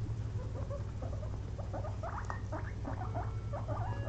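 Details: Two pet guinea pigs napping after a long day of munching frozen blueberries; quick, irregular little squeaks and chirps, roughly three a second, over a steady low indoor hum.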